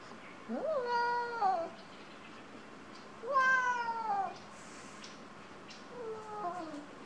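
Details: Two kittens indoors; three drawn-out meows, each rising then falling, the first two loud and clear, the third softer, spaced a few seconds apart over a quiet background.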